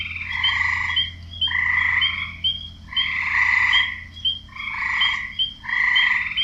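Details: A wetland frog chorus of loud, raspy, trilled croaks in about five strong bursts, each near a second long with short pauses between, backed by a low steady hum.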